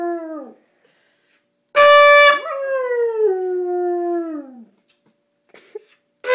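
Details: Dog howls to a trumpet. A howl tail fades, then one short trumpet blast sounds and the dog answers with a long, drawn-out howl that sinks steadily in pitch over about two seconds. Another blast starts at the end.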